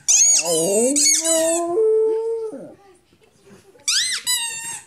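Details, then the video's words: Pet dog howling indoors: drawn-out, wavering tones sliding up and down with rich harmonics, sustained about two seconds, then a pause and a second shorter burst of high, squeaky, rising yelps. "Howling Rudi"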